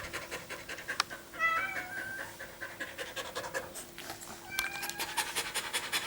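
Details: Dog panting fast after a run in summer heat, recorded 21 April 2016: rapid breathy huffs several per second, with brief whiny tones near the start and a faint steady hum.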